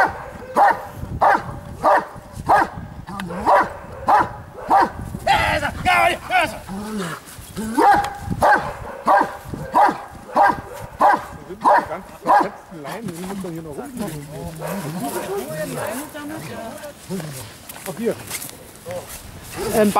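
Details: At Lübben, the Giant Schnauzer Blackmoore Dark Devil gives a long run of rhythmic barks, nearly two per second, for about twelve seconds. Then sparser barks mix with a man's speech and scuffling.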